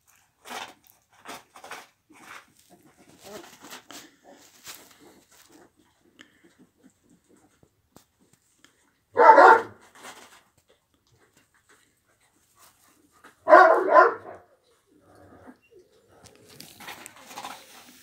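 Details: Kangal dog at a Kangal breeding farm: two loud, short, harsh bark bursts about four seconds apart, with quieter scattered rustling and knocking sounds between them.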